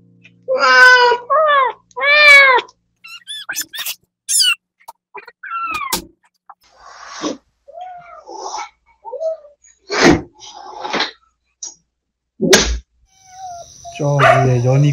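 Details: Mother cat Mideok, spayed and kept in a recovery room with her kittens: a few loud, clear meows open the recording, followed by softer, shorter cries, clicks and scuffling noises, with a final meow at the end.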